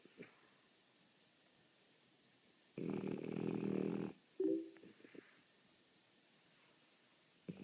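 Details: A French Bulldog snoring: a single rough, harmonic rumbling snore lasting just over a second, then near silence with faint soft snuffles and breaths.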